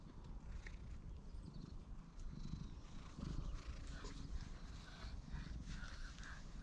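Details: Low continuous purring rumble from a stray cat following a person and glancing around, captured on a GoPro HERO8, with outdoor background hiss.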